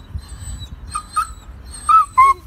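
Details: Doberman in training, producing short high-pitched whines and squeaks in pairs, the last two louder and steadier, over a low background rumble.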